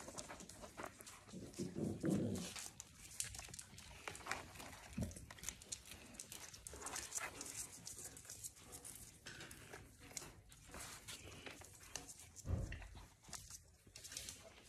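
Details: Puppies at play on a regenerative farm in County Kilkenny, Ireland: a low, rough growl swells around two seconds and a shorter one follows near twelve seconds, amid steady scuffling, panting and pattering movement indoors.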